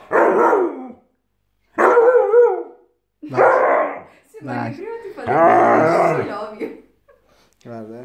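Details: Aggressive Siberian Husky voicing a series of harsh, harmonic growl-barks and moaning yowls in about five bursts, one long rough wavering growl near the end, while a person talks in Italian.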